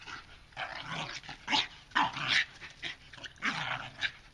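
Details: American Bulldog playing with another dog: short rough growly bursts and scuffling noises that rise and fall in quick uneven bouts, a few sharper yips mixed in.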